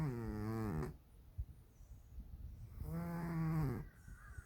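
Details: A sleeping pet cat named Dalae, plump and snoring noisily enough to keep its keeper awake; two buzzing, harmonic snore breaths almost a second long, with a soft click and quiet breathing between them.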